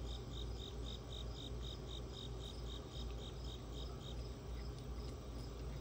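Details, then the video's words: Cricket calling as ambient background during a raccoon visit: steady, evenly spaced high chirps, roughly two to three per second, running throughout over a constant low rumble and hum. "ambient cricket audio"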